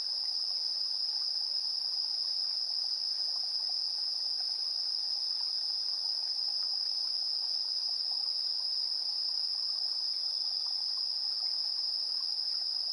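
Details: Insects chirping in the evening at 7:04 PM on 3 September 2022, captured in stereo on a TASCAM Portacapture X8 recorder: a dense, unbroken high shrill tone with a fainter, even higher band above it, plus a soft lower rustle of scattered chirps.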